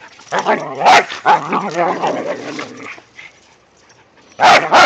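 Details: Whippets at play in the first light snow of the season, a rat terrier joining in: quick yipping barks over rolling growls, a short near-silent pause, then two loud sharp barks to finish.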